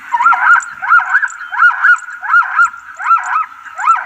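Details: Zebra herd making noise: a loud series of nasal, honking yelps, each a rising-then-falling harmonic whoop, repeated in quick pairs about every half second without pause.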